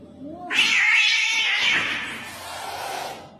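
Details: Domestic cat giving a loud, harsh, noisy yowl that bursts in suddenly and holds for about three seconds before fading, with a faint rising whine just before it.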